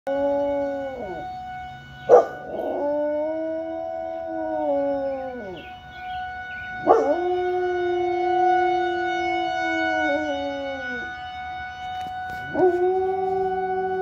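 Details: A Rottweiler howls along with a fire alarm: three long, sustained howls with wavering, falling ends, each lasting about three to four seconds, over the alarm's steady high-pitched tone and brief sharp clicks.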